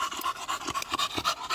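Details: Beagle panting during a morning walk after spotting some grass, quick rhythmic breathy puffs repeating several times a second, steady and unbroken.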